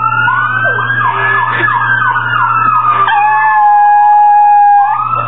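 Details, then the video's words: A pet Chihuahua howls like a hound dog along with a passing fire truck siren, head thrown back, its voice wavering, then sliding into one long falling note. "Piruli the Hound Dog?! (the fire truck siren howls...)"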